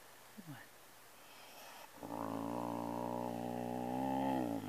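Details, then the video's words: Pet cat guarding a Kleenex tissue it is chewing, giving one long, steady, low rumbling growl that lasts nearly three seconds after a brief quiet stretch with faint room noise. "Growling over kleenex"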